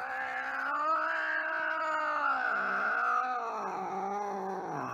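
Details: An angry cat gives a loud sustained caterwaul, a continuous wavering yowl with rich harmonics that dips and bends in pitch over five seconds without a break.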